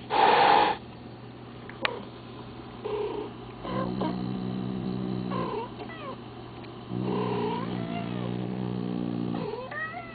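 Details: Female house cat reacting while a recording of two talking cats plays, with drawn-out, wavering meows that bend up and down in pitch, separated by pauses and a steady low hum.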